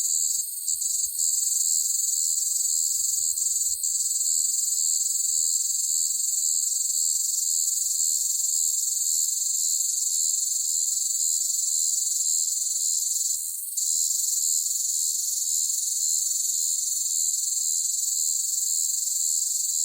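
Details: Loud cicada chorus on a hot summer day, a continuous high, hissing drone that barely changes, with a short dip and flicker near the two-thirds mark before the buzz resumes at full strength.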